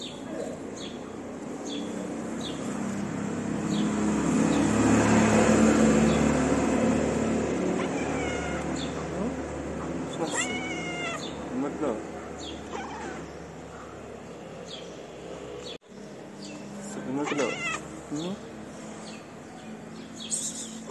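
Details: Hungry stray cat in a Moroccan city asking for food, a loud wash of noise early, then several short arching meows later, with a person speaking nearby.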